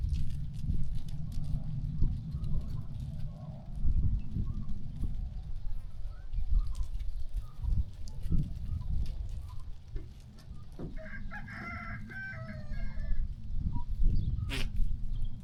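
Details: Sheep walking and grazing on a farm; one wavering, harmonic-rich bleat rises near the end, over a steady low rumble, scattered thuds and rustling movement.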